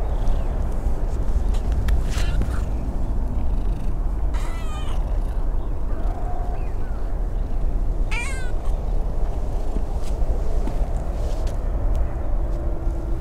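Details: An abandoned tabby kitten in a park with a large pond, slightly sick with a cold, seeks affection from people. Two short harmonic meows, the second rising then falling, stand out over steady low wind and traffic rumble.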